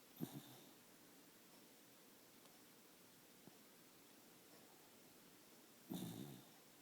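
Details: A dog snoring in a small room, two rasping, low snore breaths, one at the start and a longer one near the end, separated by several seconds of quiet hiss.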